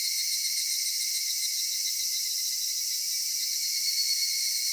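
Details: Cicadas singing on a summer evening in a cedar forest in Japan: a dense, unbroken, shimmering high buzz with a thin steady tone beneath it, holding level throughout with no other clear sounds.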